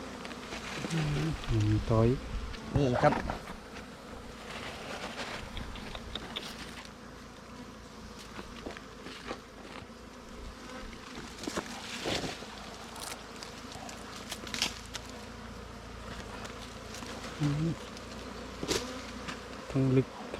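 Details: Wild bees droning around their nest on a honey hunt, a constant low hum with bursts of scraping and thumps, and brief human voices at the start and near the end.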